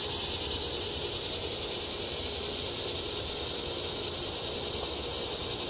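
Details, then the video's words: Cicadas singing on World Peace Wetland Prairie in Fayetteville, Arkansas, on July 31, 2011, during a severe heat wave and drought. They make a steady, unbroken high-pitched buzzing drone with no pauses, and a quiet voice speaks in the background. "cicadas sing"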